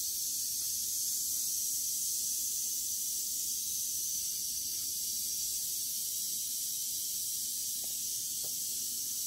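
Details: Western diamondback rattlesnake finishing off a mouse; a long, even, sizzling high buzz keeps going without pause for over nine seconds, with occasional faint taps beneath it.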